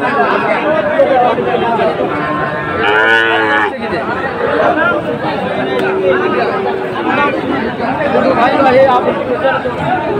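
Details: Crowded Dhaka livestock market, 16 September 2024, selling Sahiwal bulls: a short, rich, low bellow of about one second sounds midway through, with busy human talk and market noise throughout.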